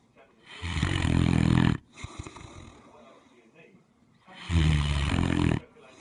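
A Great Dane snores deeply, two long rumbling breaths a few seconds apart.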